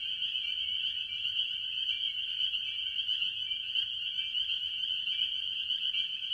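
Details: Spring peepers among various tree frogs calling from a farm pond early in the year; a dense, unbroken chorus of high, shrill peeps overlapping into a steady ringing wall of sound with slight pulsing, no other clear sounds.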